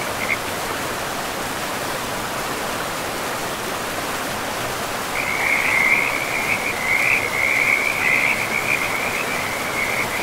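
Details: Frogs calling beside a river in a pristine, moss-covered forest. A brief raspy note sounds at the start. From halfway through, a continuous run of rapid, rattling mid-high croaks rises over the steady rush of flowing water.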